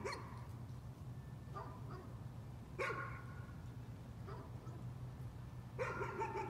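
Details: Dog barking as a nuisance, in spaced-out single barks and short doubles about every one to two seconds, over a constant low droning hum.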